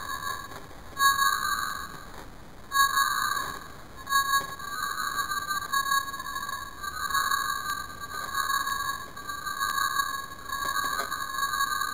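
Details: Instrumental music with steady sustained tones and a few brief breaks; no animal sound can be picked out.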